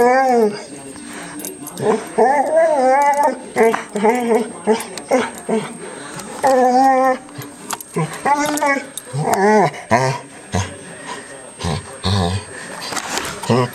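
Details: Pet dog making a long run of varied, talk-like whines and yowls, sliding up and down in pitch in short bursts that mimic speech, with brief pauses between phrases and a faint steady electronic tone behind.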